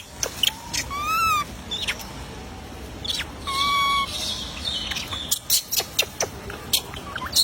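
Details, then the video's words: A baby monkey left unfed cries in thin, tonal wails, one rising then falling around one second and a flatter one near four seconds, amid repeated sharp clicking and tapping noises. "baby monkey crying not being fed"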